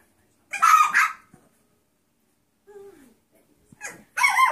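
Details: Seven-week-old mixed breed foster puppies give two sharp high barks, then a brief thin whimper after a pause and another loud yap at the end.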